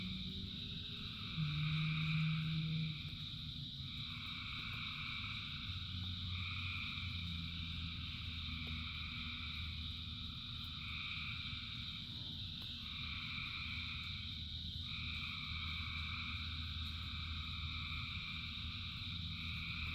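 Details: Thousands of frogs singing in rain: a dense, layered chorus of steady trilling bands with pulses swelling and fading every few seconds, a low rumbling hum underneath and a brief louder low drone near the start.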